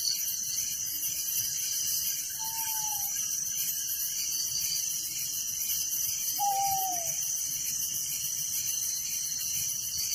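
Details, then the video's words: Night-time crickets in a village keep up a continuous shrill, pulsing chorus while two brief, soft descending whistles rise above it a few seconds apart. "Relaxing Night Crickets Sound in Village"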